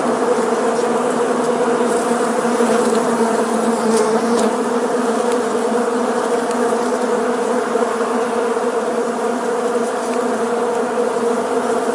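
A honey bee swarm in flight gives a dense, steady, low hum of many overlapping wingbeats.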